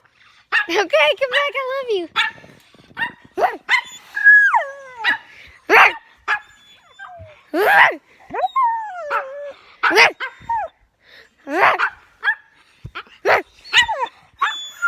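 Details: Pet dog vocalising oddly alongside an owner's talking: rapid yips, short barks and descending whimpers scattered irregularly, with human speech mixed in.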